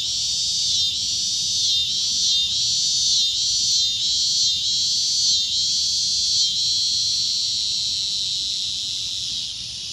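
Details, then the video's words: Loud shrill cicada drone pulsing in short, regular swells about every half second to second, then settling into a steadier high buzz toward the end. "CICADA A Loud Shrill Droning Noise"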